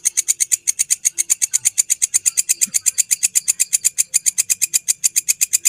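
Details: At midnight by Borobudur temple a grasshopper keeps up rapid, evenly spaced scratchy pulses, roughly seven each second, bright and sibilant, loud throughout, with faint low rumbles in the background.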